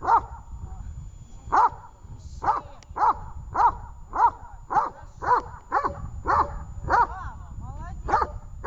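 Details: Dog Tash barking on command during training in Horlivka, 18 August 2019, giving a long series of clipped barks roughly every half second, with a brief voice near the end and low background rumble.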